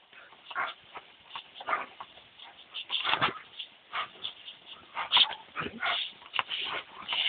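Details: Dobermanns Tyra, two years old, and Thunder, seven, romp with a hose in hot weather; brief yelping whimpers and squeaky cries recur among steady broadband water spray and splashing.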